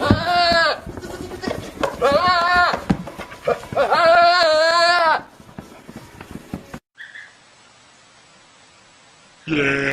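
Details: Goats from a funny compilation bleating in three loud, quavering, nasal calls about two seconds apart, followed by a quieter stretch of hiss and then the start of another bleat.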